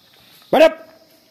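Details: A Bhotiya Gaddi dog, a Himalayan sheepdog, in an aggressive mood gives one loud, short, harsh bark that ends in a brief tonal tail. The rest of the clip is quiet.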